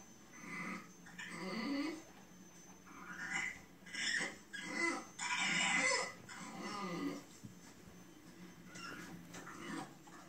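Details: Indoor French Bulldog crying along while watching a crying bulldog on television, apparently sympathising; a series of wavering whimpering, whining bursts over about six seconds, then quieter, with faint sounds from the television in the room.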